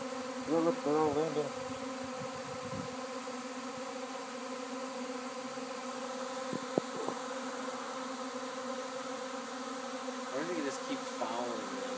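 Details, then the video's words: Swarm of honey bees at a house in Arcata, continuous droning hum with stacked steady tones, a few short louder buzzes as bees pass close, faint human voice early on. "Hey what's that buzzing sound?"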